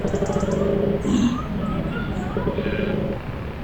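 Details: Several koalas grunt in deep, rasping, throaty bursts with a snore-like rumble while another koala tries to sleep.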